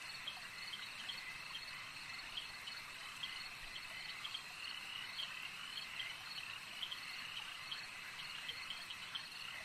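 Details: Frogs calling at a lake, a dense chorus of many overlapping callers forming a steady, bright trilling band, with short chirps standing out above it now and then throughout.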